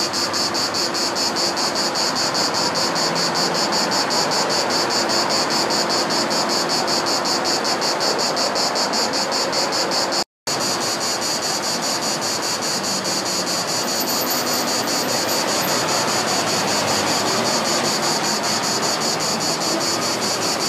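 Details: Cicada singing on 3 August 2014 at Nugent Retail Park, St Mary Cray, Bromley: a loud, continuous high buzzing with fast, regular pulsing throughout, broken only by a brief silent gap midway.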